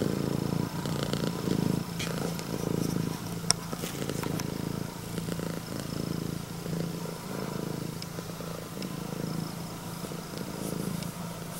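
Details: A young red tabby-and-white female Scottish Fold cat (born August 2020) purrs steadily like a loud engine while greeting her owner, a deep, rumbling throb that pulses without pause; she got angry when petted.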